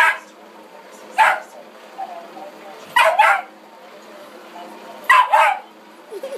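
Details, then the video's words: Dog frightened of the vacuum barks in quick doubled bursts, three volleys roughly two seconds apart, loud and harsh against a quiet indoor background with a person's teasing voice nearby. "Dog Goes Wild"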